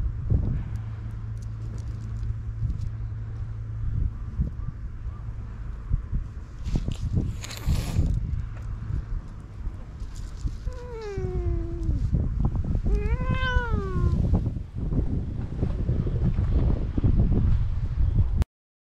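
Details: Sunbathing stray cat on a cat island being petted, filmed with a GoPro HERO8: two clear meows, the first sliding downward, the second short and arched, over low rumbling traffic-like background noise with a whooshing burst earlier.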